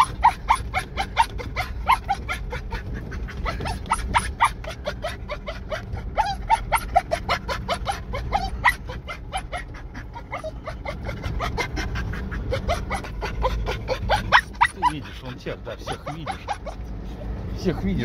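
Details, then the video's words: Russian Spaniel working a deer hunt, a long stream of fast, dense yelping barks repeated several times a second, with steady low rumbling noise underneath throughout. "Русский спаниель на охоте на оленя 🐾Russian spaniel on a deer hunt"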